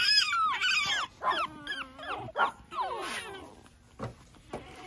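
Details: Pekingese puppy outside early in the morning, romping about; high, sliding whines and whimpers in quick bursts, many falling from high to lower pitch, with short yelps between.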